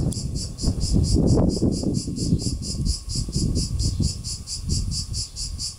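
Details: Cicada, called τζιτζίκι in Greek, producing a high pulsing buzz of about four beats per second, partly masked by strong low rumbling and handling noise that dominates much of the recording.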